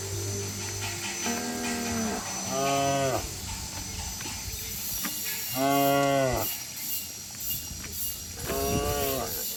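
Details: Cattle and oxen in a herd leaping and running down a lush green hillside in the countryside, giving repeated rich, harmonic moos. Five bellows arrive in a few seconds, some overlapping, with a steady background hiss.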